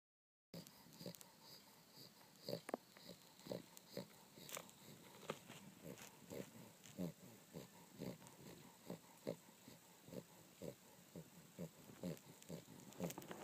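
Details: A dog snoring as it sleeps on a down duvet: a run of short, soft, rasping snores roughly two per second, over a faint hiss with scattered clicks and small rustles.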